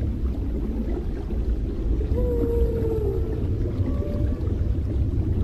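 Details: A mother humpback whale, said to be singing to her calf, makes a drawn-out, slightly falling tonal moan over heavy low underwater rumble.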